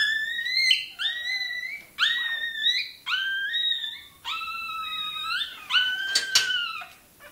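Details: Toy terrier puppy crying while its tail is docked indoors: a run of loud, high, drawn-out yelps. Each starts sharp, then bends and holds level. About six cries in quick succession, some shorter and broken.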